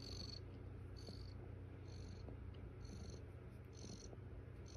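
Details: On the eighth morning, foster mother cat Estella purrs among her kittens, a soft, even low drone with faint ticks, while bursts of high pulsed sound return about once a second.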